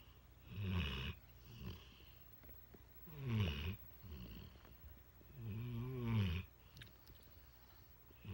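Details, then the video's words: Mastiff mix dog named Trucker asleep on a lap, snoring in three long, throaty pulls, the later ones with a rising-then-falling groaning tone, spaced roughly two to three seconds apart in a quiet room. "Snoring dog"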